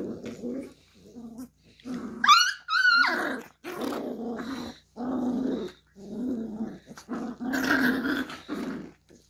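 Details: Beagle puppy indoors playing with a hand: a run of short, rough, pulsing growls repeated about once a second, broken by a sharp high squeal early on, with brief silences between bursts.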